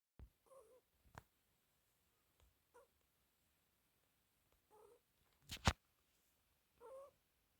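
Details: British Shorthair cat snoring softly: faint, short nasal tones with a breathy edge come about every two seconds, four in all, with a few clicks and one sharp knock near the end.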